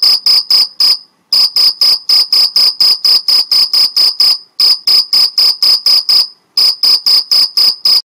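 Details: Mediterranean field cricket stridulating in the Algarve, Portugal: loud, high-pitched, ringing chirps repeated about twice a second in long steady runs, broken by three brief pauses, with no other sounds in the background.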